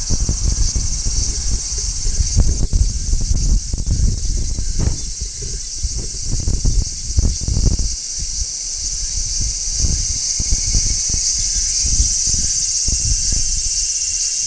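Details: Large brown cicada on a tree in midsummer giving a sustained high hissing shrill, while heavy rustling and thumping knocks sound close by during the first half.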